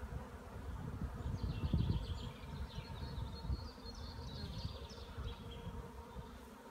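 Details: Hive honey bees on the wing on a fine day, 15 April 2016, after over a week of rainy weather. A low droning hum swells and fades, with faint high chirps in the background.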